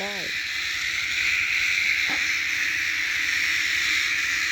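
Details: Continuous shrill cicada drone, hissing and level, dominating the whole stretch, with only a faint short vocal sound at the start and a click near the middle.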